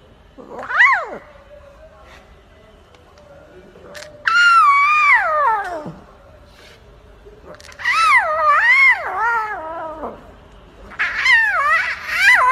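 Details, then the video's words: Lion cub calling indoors: four bouts of rich, harmonic, wavering mewing cries that rise and fall in pitch, a short one first and then three longer ones, with faint voices in the background. "Lion cub roar"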